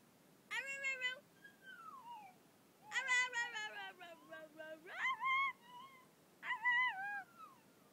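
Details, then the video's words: Pet dog howling over a screaming girl he dislikes: several harmonic cries with rising and falling pitch, one long descending wail sliding low before jumping up again, in an indoor setting. "My dog howling and barking"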